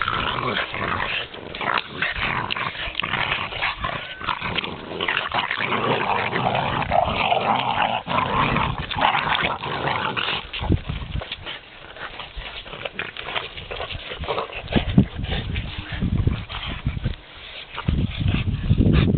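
A Boston Terrier gives rough, throaty growls broken by short, sharp barks and yips.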